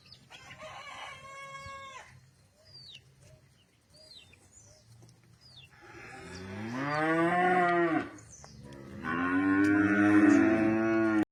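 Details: Cattle on a ranch lowing twice, each moo long and harmonic-rich with a slight pitch bend, the second louder, while birds chirp and a rooster-like call sounds near the start.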